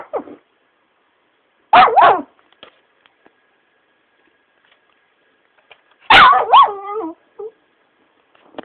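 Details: A Shiba Inu being pestered by its owner gives two bursts of protesting vocalization, a short yelping pair then a longer wavering whine-howl with sliding, warbling pitch, separated by near silence.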